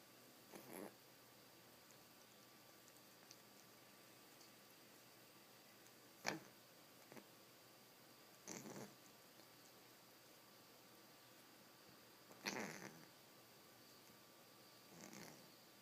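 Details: A female cat washing herself makes brief, soft licking and smacking noises every few seconds in a quiet room.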